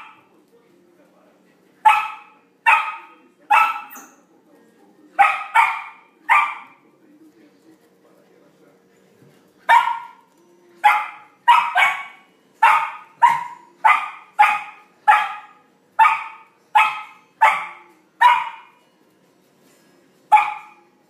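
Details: Flake, a Samoyed puppy, playing with his first big ball; sharp high puppy barks in bursts of two or three, with a pause midway, then a steady run of single barks about every second.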